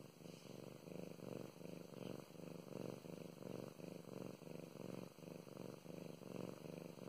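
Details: Female pet cat Mow Mows purring contentedly during petting; strong low-pitched rumble swelling in clear rhythmic bursts with each breath, steady and unbroken, faint soft rustles of a hand on fur.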